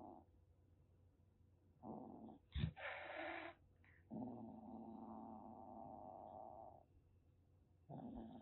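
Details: Threatening rescued calico kitten, roughly six weeks old, Kagoshima, Japan: a short growl, then a sharp explosive spit followed by a breathy hiss, then a long rumbling growl of several seconds and another starting.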